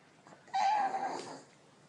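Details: Tot, a female pug from Cape Town, whines indoors in excitement at being offered a walk: one brief, high, steady whine lasting about half a second, then quiet room noise.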